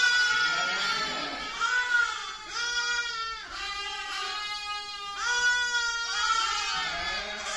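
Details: Baby sheep bleating continuously: drawn-out, trembling, cry-like calls that rise and fall, running into one another over several seconds.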